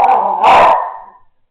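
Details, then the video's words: American Staffordshire Terrier puppy at home, growling and snorting for no apparent reason, something it does a couple of times a day in different rooms; one loud, rough, throaty burst lasting about a second, then fading into quiet. "Puppy growling, rolling, and snorting for no apparent reason"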